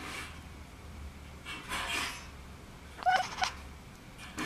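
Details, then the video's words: Kitten at play indoors gives a short, bright chirping call with clear harmonics, two quick notes close together, between soft rustling and scuffling play noises and a low background hum. "Playing kitten making hilarious sound"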